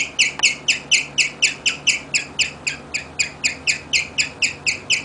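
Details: Guinea pig named Rigel chirping, described as serenading its owners: a steady string of sharp, high bird-like chirps, about four per second, each with stacked bright overtones, repeated evenly throughout.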